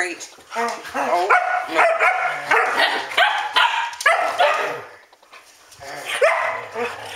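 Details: Standard Poodles indoors at home shortly after midnight, ten past twelve at night, letting out a rapid run of high, harmonic yapping barks that overlap one another, while a person scolds them over the noise.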